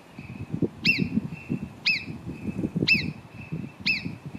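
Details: Four shrill whistles from marmots at Cogne, below Arpisson, about one each second. Each is a bright, clipped note that drops quickly in pitch, set against a continuous low rumble.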